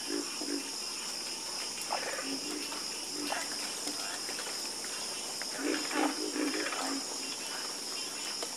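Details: Frogs croaking together, clusters of quick low croaks coming in uneven bursts, busier toward the end, set against a continuous high-pitched insect-like drone.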